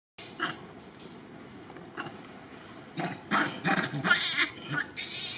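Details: A pregnant female monkey gives loud, harsh calls for help in short bursts that grow louder and closer together as a big male monkey stares at her.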